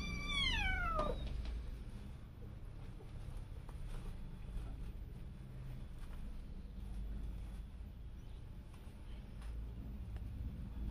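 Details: A house cat or kitten lets out one clear meow right at the start, sliding steadily downward in pitch and ending within a second, followed by a long stretch of low background hum and faint rustles.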